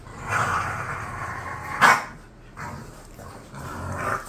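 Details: A drawn-out grumbling growl from bored pet bulldogs Khan and Ali, cut by one sharp bark in the middle, followed by softer low growls trailing off and returning.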